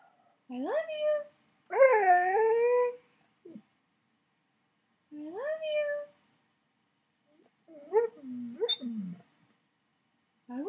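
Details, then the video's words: Alaskan Malamute Koda talking to its owner in bed: several separate rising woo-like vocalizations, one longer wavering note, then quicker warbled yips, with gaps between each phrase and a person's voice saying "I love you". "Talking Malamute "i love you""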